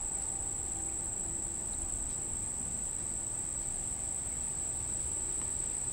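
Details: Unknown insect recorded at 6:31 pm on July 14, 2012, by Monticello Lake, Arkansas: an unbroken, very high, even-pitched monotone buzz holds throughout over a dull low-frequency rumble.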